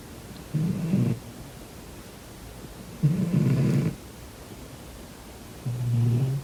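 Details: Domestic cat snoring in its sleep, three low rasping snores spaced about two and a half seconds apart, the middle one loudest and breathiest, over a quiet room.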